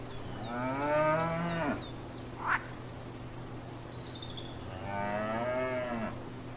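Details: Cows grazing in a field: two long harmonic moos, the first about two seconds and the second about one and a half, separated by a short sharp sound and light bird twitters, over a steady low hum.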